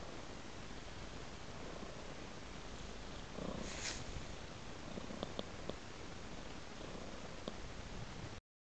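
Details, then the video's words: Cat lying on a pillow with floral decor, purring: an unbroken low, grainy rumble, with a soft rustle in the middle and several faint clicks toward the end. "Purring Cat"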